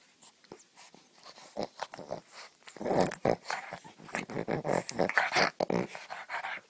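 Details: Pug in a funny pug compilation, giving rough, raspy growling grunts in quick uneven bursts, about four a second, louder and denser in the second half, indoors in a small room.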